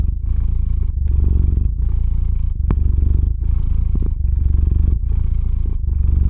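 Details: Purring of a domestic cat called Theo falling asleep, recorded up close with a RODE NTG-3 and ZOOM H6; low vibrating drone pulsing in regular breath cycles about four times in five seconds, a sharp click near the middle.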